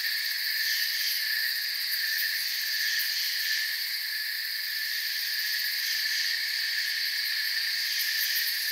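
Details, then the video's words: Crickets in a forest at night, a dense unbroken chorus of high shrill trilling layered in several steady bands, even in loudness throughout with no pauses and no other animals or voices. "Forest Sounds and Crickets"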